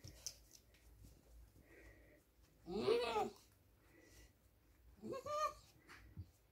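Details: Rhodesian Ridgeback puppies about to fall asleep indoors, giving two short whining whimpers with rising then falling tones, separated by a quiet pause of about two seconds, with faint rustling between.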